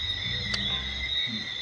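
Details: Crickets chirping at night around 8:40 pm outside a rural Airbnb in Jamaica, more intense than at home; a steady high-pitched continuous trill holds through the clip, with low murmuring and a brief click near the middle.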